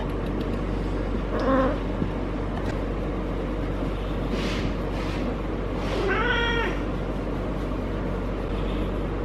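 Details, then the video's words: Caterwauling from Harley, a feral cat having her first heat, rolling constantly as her lower back is petted: a brief harmonic cry, then a longer, strongly harmonic rising-and-falling yowl, with rubbing noises between and steady low hum. "Feral Cat in HEAT makes UNBELIEVABLE Noises!"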